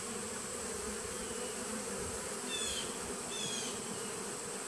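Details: Even droning of bees from a nuc colony begun in 2017, recorded 19 September 2018. Two quick, high, downward chirps arrive near the end above the unbroken hum and a faint steady whine.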